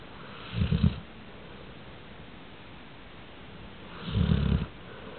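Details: A dog named Sammy Sutton snoring: two deep, rumbling snores about three and a half seconds apart, each lasting under a second, with a quiet room between breaths.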